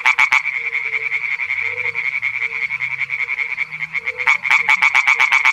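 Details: A male European tree frog (Hyla arborea) singing in a small pond gives a loud, rapid series of harsh, clacking croaks.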